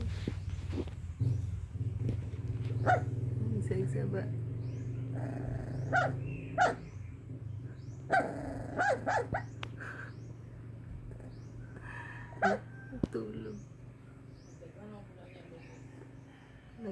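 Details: Puppy making noises in its sleep: scattered short yelps, muffled bark-like bursts and soft growly sounds come at irregular intervals over a low background hum, with voices possibly present.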